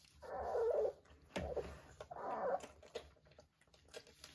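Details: Three-week-old Vizsla puppies with their mother: two drawn-out, wavering mid-pitched whines or squeals about a second apart, separated by soft shuffling and brief thumps.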